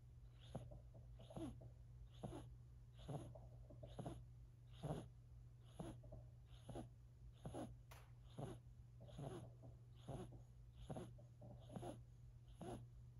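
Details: Silver Siberian kitten, four months old, snoring while asleep: soft rhythmic breathy snores, roughly one every second, each a short wheezy burst over a steady low hum.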